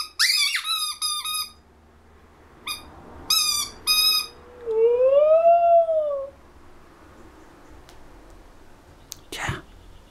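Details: A female Siberian Husky named Saskia answers a squeaking ball indoors: sharp repeated squeaks in bursts over the first four seconds, then a single smooth rising-and-falling howl lasting about two seconds, followed by quiet and a brief knock.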